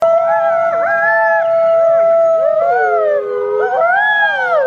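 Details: Wolf howling, caught on a trail camera; several overlapping smooth tonal howls with sliding, wavering pitch, some dipping and rising, sustained continuously throughout.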